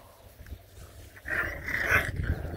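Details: Beagle puppies play-fighting at a breeder's kennel in Ontario, Canada. A brief, rough growling yelp rises midway, with a strained tonal edge, over low rumbling background noise.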